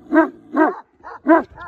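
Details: Kangal puppy giving a quick series of five loud, harmonic yelping barks in under two seconds, the first, second and fourth strongest, the others softer.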